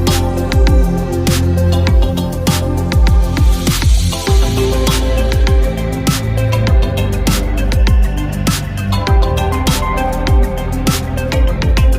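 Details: Dense electronic dance music with pounding bass and busy percussion, and no animal voices anywhere.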